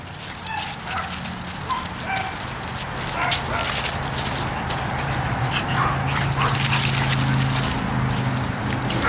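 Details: Pekingese dogs raised at home by breeders in Akron, Ohio, yapping in a rapid, irregular series of short sharp yips over a steady low hum, with a person calling dogs' names nearby.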